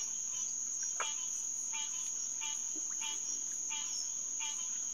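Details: Green tree frog (Hyla cinerea) calling at a pond at night in early June 2021. Short nasal notes repeat about every three quarters of a second, each a stack of harmonics, under a constant shrill insect whine.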